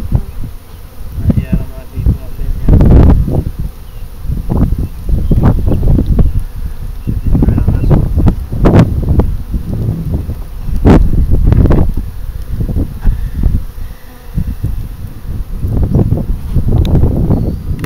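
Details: Hive bees humming low and continuous during an April 1, 2012 inspection while a beekeeper searches for the queen; frequent knocks and rustles of frames, plus a few spoken words.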